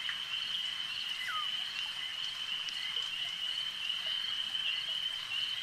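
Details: Frogs calling at a lake form a dense, steady high-pitched chorus of trilling, with a brief falling whistle-like note near the start and a constant shimmer of overlapping callers.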